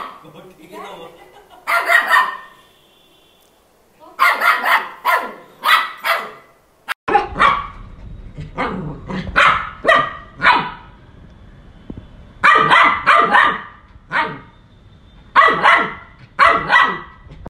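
A Maltese puppy gives sharp, high-pitched yaps in quick bursts of two to four.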